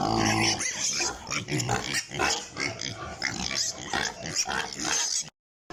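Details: On a pig farm, apparently in Italy, a group of piglets gives rapid, harsh squeals and grunts in a busy, overlapping chorus that cuts off abruptly into silence at the end.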